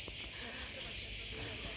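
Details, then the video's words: Cicadas in a park near Sveti Stefan, Montenegro, chirr in a steady, high, hissing buzz that fills the air without a break. "Вийшли в якомусь парку, де стрикочуть цикади. Послухайте."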